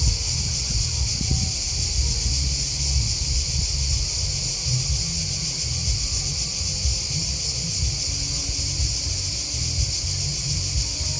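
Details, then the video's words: Crickets chirping in a dense, unbroken high-pitched chorus of fast pulsing trills that hold steady throughout, over a heavy low rumble. "Crickets Chirping Sound"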